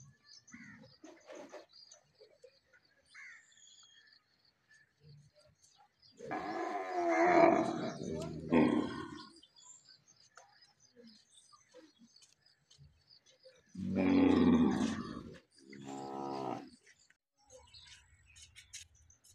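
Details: Cow and big bull at mating time: deep, harmonic bellowing in two loud bouts of about three seconds, each rising then breaking off, with quieter grunts and background noise around them.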